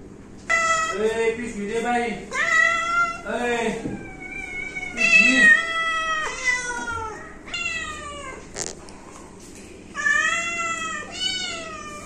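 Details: A pet cat meows insistently indoors, its long, bending cries overlapping with human voices talking in the first few seconds, followed by further drawn-out meows and a sharp click midway.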